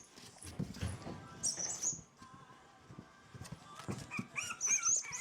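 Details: Four-week-old French Bulldog puppies, away from their mother for a few hours for the first time, give short high squeaks and a few wavering whines late on, over soft bumps and shuffling.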